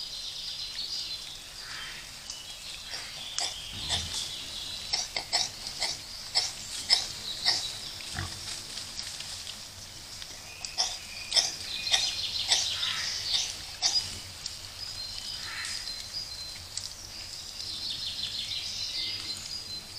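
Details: Wild boar piglets recorded on a trail camera. Thin, high squeaky calls come repeatedly amid many short clicks and rustles, over a steady background hiss.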